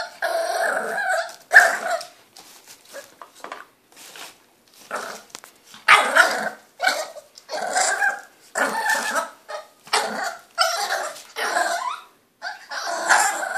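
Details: A 3-month-old French Bulldog puppy, impatient because it wants a hand brush, gives a run of whines, grunts and short barks.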